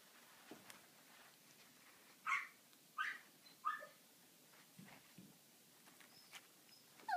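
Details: Tibetan Terrier puppy playing with a play mat indoors; three short high yelps or squeaks about a second apart, then quiet rustling and a final brief squeak, with a soft murmur of a person nearby.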